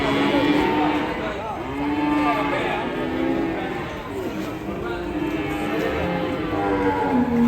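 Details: Agitated, raging cattle bellowing: repeated drawn-out, rich harmonic moos that bend up and down, several overlapping through the recording, over a constant background murmur and hiss.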